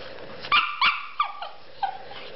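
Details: Shih Tzu dog playing and acting taunted, giving five short, high, sharp yips spaced irregularly across about two seconds, the first two close together, with quiet room background between them.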